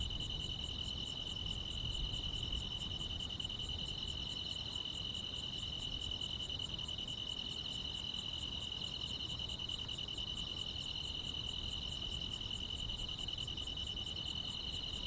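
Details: Grass insects filling a quiet summer night in the countryside with a steady high trill and a metronome-like series of sharp high chirps repeating about every 0.3 seconds throughout.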